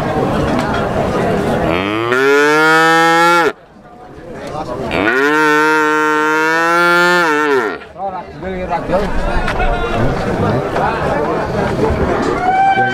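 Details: At Plaosan cattle market in Magetan, Indonesia, six-month-old Pegon calves give two long bellowing moos, each around two seconds, rising then falling in pitch, separated by a pause, amid people talking and market noise.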